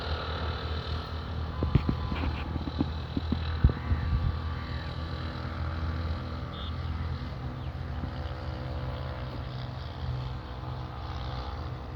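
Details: Steady low engine rumble like a boat motor or vehicle, with a few sharp knocks early on; no animal voice is heard.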